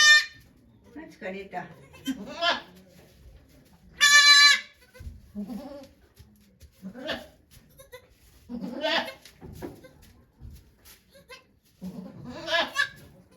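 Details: During the 3 May 2023 birth of two kids to the goat Okayu at Yoshigake farm, one loud, strained bleat rings out near four seconds, surrounded by quiet human chatter and shuffling among the watching volunteers.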